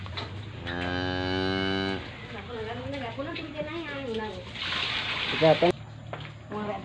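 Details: Calves aged 111 and 60 days mooing: one long, steady, harmonic-rich moo lasting over a second, followed by shorter wavering lowing calls, with people talking nearby and a brief clatter.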